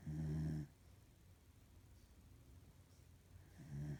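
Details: Sleeping female corgi snoring in a room, a low buzzing snore at the start that fades after half a second, a quiet pause, then the next snore beginning at the end.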